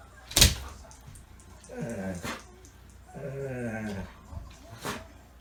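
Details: A Borzoi (Russian wolfhound) gives two drawn-out, wavering, moaning barks indoors, with sharp knocks before and after.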